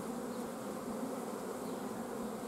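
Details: Honey bees in a hive whose queen is blocked from laying during a lack of forage, 14 June 2016 at the apiary: a thick, unwavering low buzz with rich overtones fills the whole stretch.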